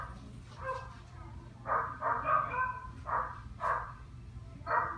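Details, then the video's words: Dog barking: a cluster of mid-pitched barks near two seconds, then single barks spaced about half a second to a second apart, over a low steady hum. "barking dog sound"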